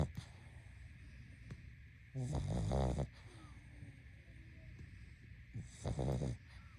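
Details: Sleeping pug snoring: two rough, rattling low snores about three and a half seconds apart, each close to a second long, with quiet breathing between them and a steady faint hum in the background.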